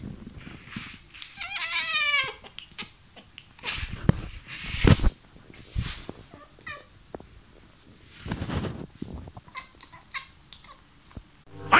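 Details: Pet cat indoors vocalizing at a mosquito: a rising-and-falling trilled, warbling meow of about a second, then scattered short chirps and chattering notes among clattering knocks and household noises.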